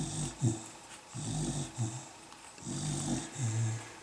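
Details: Mimmi's Beagle puppies, 150701: low, grunting snore-like breaths in rhythmic pairs, each burst rough and throaty with a faint airy hiss, separated by brief pauses.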